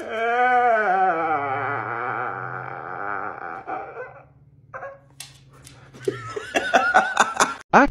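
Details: Pet Siberian Husky named Moon playing with his owner, giving a long wavering, howl-like vocal that rises then quavers for about four seconds over a low steady hum, followed by short sharp bursts and laughter.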